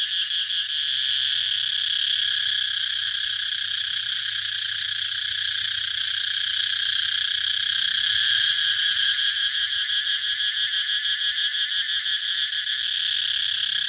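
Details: Cicadas producing a dense, steady, shrill buzz, with a rapid pulsing throb laid over it at the start and again from about eight seconds on, roughly four beats per second; a faint low hum runs underneath.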